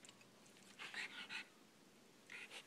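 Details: A Cairn Terrier 'talks' to a fly with quiet, airy whine-grumbles, each about a quarter second long, in pairs separated by pauses, in an otherwise quiet room.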